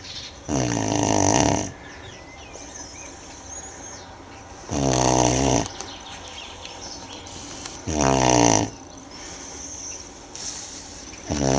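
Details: Manjurhi, a Tibetan Mastiff (do-khyi), snoring while asleep; loud, rasping, harmonic snores lasting about a second each, returning roughly every three and a half seconds, with quiet breathing between.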